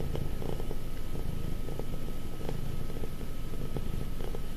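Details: Affectionate, clingy pet cat almost five years old purring close up: a steady, deep, rhythmic rumble pulsing about three times per second, with no other sounds.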